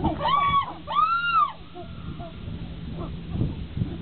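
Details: Chimpanzees during an upset fight between Higgy and Juniper: two loud, arched, tonal screams rise and fall in pitch, each under a second long, followed by quieter scattered calls over a low rumbling background.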